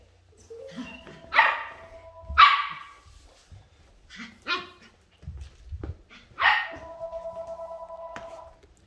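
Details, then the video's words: Ollie the puppy barks during a game of hide and seek at home: four short, sharp barks at irregular intervals, a girl's voice praising and giving commands between them. "Puppy plays Hide & Seek"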